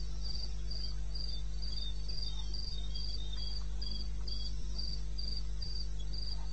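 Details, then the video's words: Cricket in eastern Botswana's wilderness at night, 2:30 AM on 21 May 2016, pulsing steadily and high at around four beats a second, a second quieter pulsing voice slightly lower, all over a continuous low hum. "1 Hour cricket sound"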